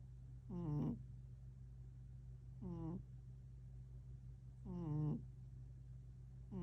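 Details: Tank the cat, 11 October 2025, gives three throaty harmonic murmurs, spaced about two seconds apart, with a fourth starting at the end. Each swells and fades against a constant low background hum.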